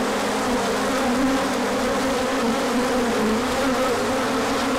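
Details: Crowds of bees take their orientation flight in spring sunshine after colder weather, March 2024; a thick, even buzz of many wings, its twin humming tones drifting slightly in pitch across the short stretch.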